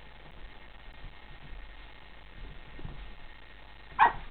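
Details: A newly adopted female Boston Terrier, discovering her reflection in a mirror, gives a single sharp bark after a few quiet seconds while her owner talks to her.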